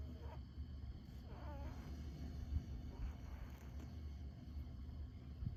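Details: Pet rabbit asleep in front of a heater, snoring: soft, low rumbling breaths that repeat steadily under a quiet hum, with a faint, brief higher tone early on.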